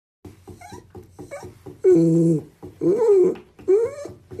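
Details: Domestic cat indoors in a small room, called a little chatterbox, giving three clear harmonic meows in the second half, each under a second and rising then falling, after softer short murmured sounds.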